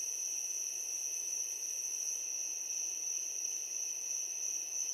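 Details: Unceasing high-pitched chirping of crickets at night, a bright continuous tone with a fainter companion band lower down, even in volume, with gentle background hiss.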